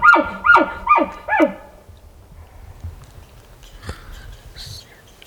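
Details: Group of elk called in close during an over-the-counter elk hunt in Colorado; four descending, nasal mewing calls repeated about every half second, then quiet rustling and a few faint knocks.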